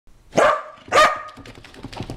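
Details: Ronan, a Kerry Blue Terrier, just after a bath at home, gives two short, sharp barks about half a second apart, then quiet rustling.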